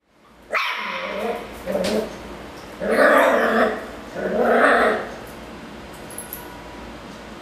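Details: Ruffus, a Miniature Schnauzer, barks angrily at a Yakult pot: a short yelp, then a few harsh, uneven barks, the last two long and loud, ending in a quiet room.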